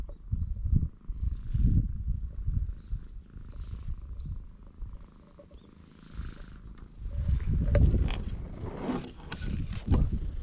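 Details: Stray cat at a guesthouse on Tashirojima, Japan's Cat Island, greeting a visitor from a table bench, recorded on a GoPro HERO8; low rumbling purr in pulsing bursts roughly once a second, with faint handling noise.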